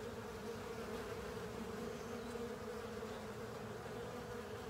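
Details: Honey bees and other insects cleaning up a honey filter: a steady, droning hum from many wings, with one strong mid-pitched tone and fainter overtones. The hum holds even and unbroken throughout.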